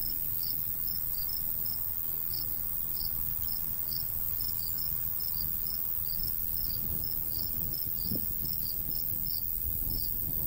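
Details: Crickets in summer countryside beside a golden wheat field, chirping in short high pulses scattered irregularly, with a steady high insect hiss and low breeze rumble underneath.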